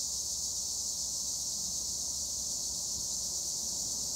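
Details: A dense chorus of tree crickets (Acheta assimilis) in olive trees at Gure, Edremit, Turkey, makes a continuous, shrill, high, unbroken trill with no other sounds breaking through.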